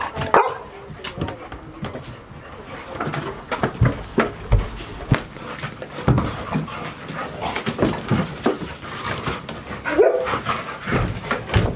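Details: Golden Retriever puppies, five of them, 158 days old and from Chiro's litter, kept indoors all day at Ain Village as Typhoon 24 approached on 30 September 2018; scattered short barks and brief whines over clattering indoor noise, with a person calling.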